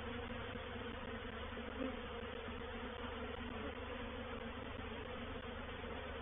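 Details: Honey bee reproductive swarm moving into a bait hive, or swarm trap, at Painted Peacock Manor on 04/07/21: a dense, steady hum of many wings with low droning bands, unbroken for the whole stretch.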